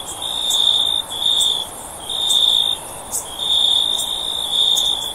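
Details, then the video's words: High, pure trilling from a cricket comes in long buzzing bursts with short breaks between them, set against a low background hiss and occasional faint ticks. "Cricket Sound For Sleep"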